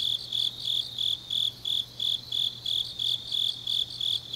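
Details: High-pitched rhythmic chirps of grass insects on a late autumn night in Changnyeong, Korea, each short pulse following the last at about three per second, a soft steady hum underneath.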